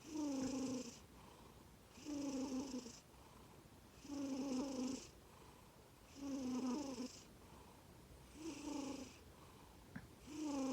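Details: Komatsuna, a black-and-white male Norwegian Forest Cat born 18 April 2020, snoring indoors: loud, droning snores with a steady buzzing tone and airy hiss, each about a second long, repeating every two seconds with quiet breaths between.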